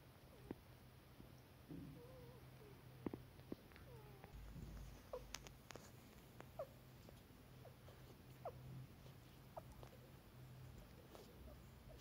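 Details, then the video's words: Newborn kittens indoors in a flat on their first day there, meowing for their mother and for food; a few soft, short wavering mews come early, followed by scattered faint clicks and handling noises. "Cute Newborn Kittens Meowing"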